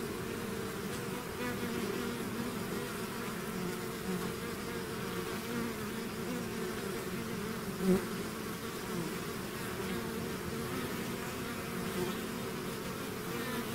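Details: A bee swarm that has left its hive, heard as a constant low-pitched drone of many wings, one close fly-by standing out briefly near eight seconds.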